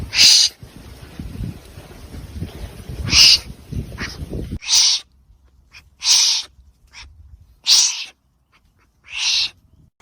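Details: Hoarse hissing bursts from a wombat, first over a low rumbling noise, then clearer in quiet, coming roughly every one to two seconds.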